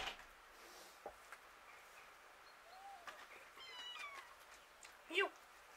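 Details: Hungry street cats, probably fighting over food. Near four seconds a drawn-out, harmonic meow rises and falls, with scattered clicks and a short sharp sound near the end over a quiet outdoor background.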